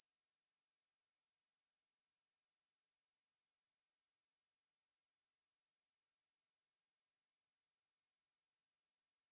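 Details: Conehead katydid (aemaeburi) from a 2020 National Institute of Biological Resources recording, Korea: an unbroken, high, hissing buzz held at one steady pitch throughout, with no pauses and no other sounds.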